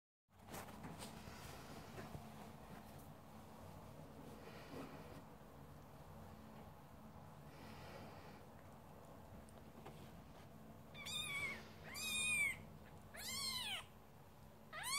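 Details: Scottish Fold kittens indoors giving four high, arching mews in quick succession near the end, each rising then falling with bright overtones, about one per second, after a stretch of quiet room noise and soft breathing.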